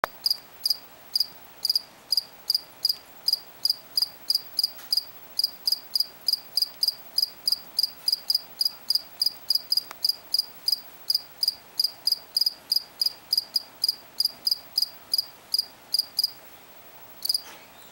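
A cricket chirps steadily, giving short high pulses about three times a second.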